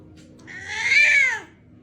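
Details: Cat indoors giving a single drawn-out meow of about one second that rises then falls, bright and nasal, over a faint background hum; a person talks just before and after.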